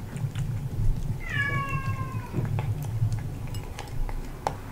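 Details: A male British Shorthair cat eats freeze-dried chicken breast from a new glass bowl, crunching with sharp clicks, and gives one short, falling meow.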